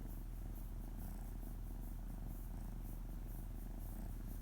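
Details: Domestic cat named Oto purring on a lap while his stomach is gently stroked, paws patting; a low, continuous rumbling purr pulsing about four times per second, steady throughout.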